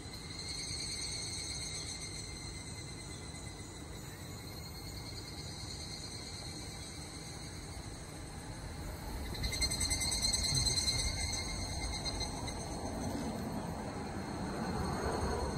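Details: Evening cicadas (Tanna japonensis, higurashi) give a steady, high, ringing trill that swells and fades over a low outdoor rumble.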